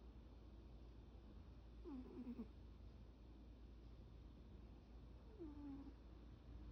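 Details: Two brief, falling squeaky murmurs about three seconds apart come from a cat sleeping and daydreaming, against a constant low indoor hum.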